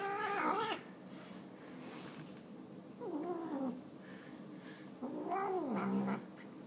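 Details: Fat pet cat enjoying a pile of tuna indoors gives three meows about two and a half seconds apart: a loud falling one, then two lower, drawn-out wavering calls.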